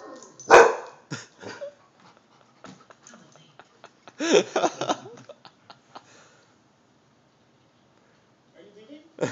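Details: A dog that rarely barks gives a few sharp, loud barks in reply to a dog barking on television, with the television speech behind.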